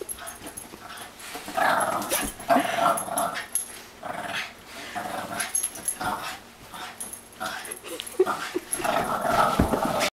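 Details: A Boston Terrier playing with a Great Dane gives rough, throaty growls and grumbles in uneven bursts, with a person speaking briefly.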